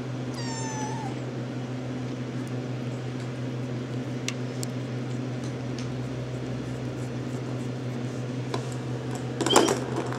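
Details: RagaMuffin kitten from the Shrek litter, 10½ weeks old, indoors: one short meow near the start that slides and then bends upward, followed by quiet, a steady low electrical hum, faint rustling and a thump near the end.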